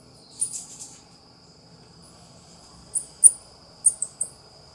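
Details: Nasua nasua, the South American coati, uttering a burst of shrill chirps, then a quiet pause, then a quick series of four or five short piercing squeaks over a steady high-pitched background tone.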